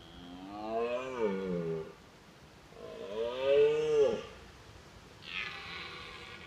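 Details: A red deer stag during the autumn rut, watched from a car, gives drawn-out, rising and falling roars to warn rival stags from his hinds and assert strength; roaring lets stags size each other up.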